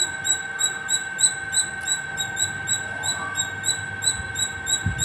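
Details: A squirrel on top of a terrace gives a steady, non-stop run of sharp, high chirps, about three each second.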